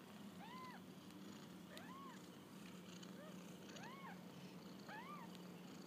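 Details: Kittens on their first walk about give a run of short arched mews with bright overtones, roughly one each second, above a constant low hum and soft background hiss.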